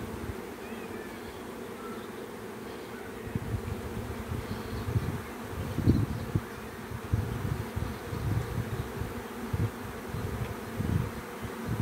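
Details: Bee swarm producing a dense, continuous low buzzing hum that swells and fades in irregular surges, with individual bees droning past close by.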